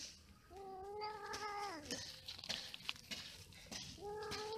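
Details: Cats mating and quarrelling: drawn-out, nasal yowls holding a steady pitch, then bending down. A quieter stretch of scuffling noise follows before a rising wail returns near the end.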